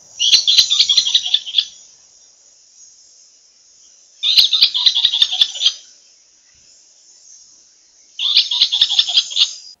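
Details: Southern African tree squirrel giving its aerial predator alarm call: three bursts of rapid, clicking chatter, each about a second and a half long and four seconds apart, over a steady high insect hiss.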